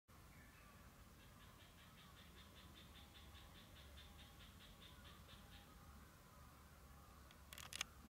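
A Japanese tree frog gives a quick run of evenly spaced, raspy quacking notes.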